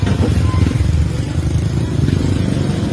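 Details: Loud, steady roar of a passing motorcycle and road traffic on a street, with low rumbling engine noise throughout and no animal voice audible.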